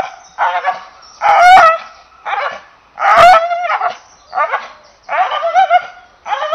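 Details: English Bull Terrier voicing strained, whining barks in uneven bursts, some with a sharp rising yip at the onset, spaced about one to two seconds apart.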